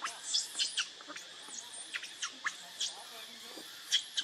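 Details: Baby monkey named Leo, hungry and crying as it begs its mother for milk; a quick run of short, shrill, piercing squeals, roughly a dozen in four seconds, over a steady background hiss.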